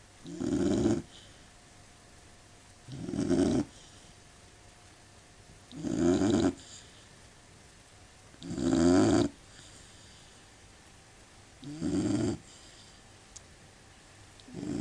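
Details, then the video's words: Labrador Retriever asleep and snoring, rough throaty breaths coming steadily about every three seconds, each a short burst of grating rasp over quiet background hiss. "Labrador Retriever snoring dog (лабрадор храпит)"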